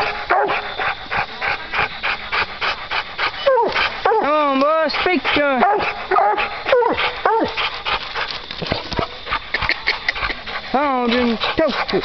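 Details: Coon hounds baying at a treed raccoon at night on a hunt; rapid choppy barks give way to long arched, wavering howls, while hunters speak and laugh, urging the dogs on.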